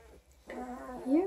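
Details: A single 12-day-old Coonhound cross puppy, Redtick x Black and Tan, near Kingston, Ontario, gives one drawn-out, wavering whine that rises sharply at its end, with faint background hiss.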